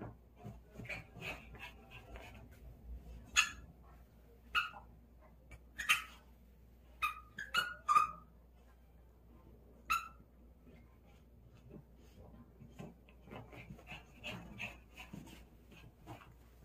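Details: Playful dog with its ball yips and barks in scattered sharp bursts, some doubled, amid soft thumps, shuffling and low chatter in between.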